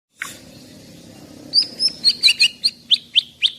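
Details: Singing caged white-rumped shama from Medan, an 11-month-old bird about 24 cm long: a single low sweep, then a series of loud clear whistled notes repeated about every quarter second, slurring between high pitches.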